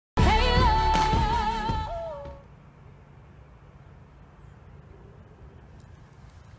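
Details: A short burst of sung music with steady held notes ends after about two seconds, followed by quiet low background noise.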